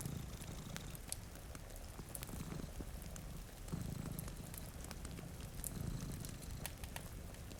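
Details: Sleeping cats purr before a rain-streaked window near a crackling fire; a deep, continuous rumble pulses in gentle waves while rain hisses and fire pops ring out sharply above.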